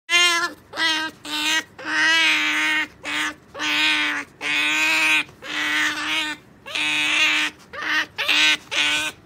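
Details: Sakura, a pet otter, being taught to wait for a jerky treat, gives insistent squealing calls. Each harmonic, nasal cry is short or drawn out and comes in quick bursts with brief gaps, steady in pitch.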